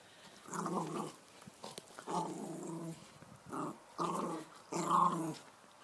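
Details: Dog growling during a ball game as a person asks for the ball; rough, low rattling growls in bursts of about half a second, five bursts across the stretch.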